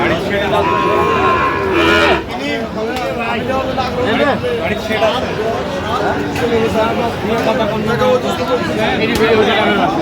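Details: Sahiwal bull calves at a cattle market in Feni on 9 November 2025, one letting out a long harmonic moo at the start, then busy crowd chatter and bargaining voices with more lowing in the background.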